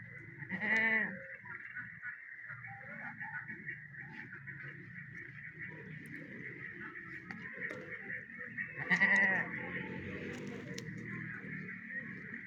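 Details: Teddy breed goat on a Pakistan farm, mother of three newborn kids, gives two loud, wavering bleats, one near the start and another about nine seconds later, over a steady high background hum with faint shuffling between calls.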